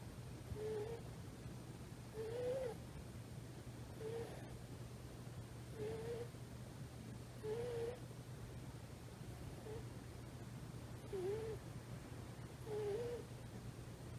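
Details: Soft nasal whistles from Komochi, a sleeping three-month-old rescued tuxedo kitten, female, curled against a thigh; eight short wavering tones repeat roughly every one and a half to two seconds, faint against a low room hum.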